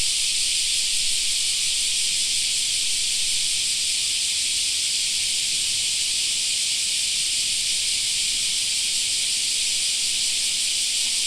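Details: Steady wall of cicada song in a summer park, a bright sizzling drone that never pauses or shifts in strength.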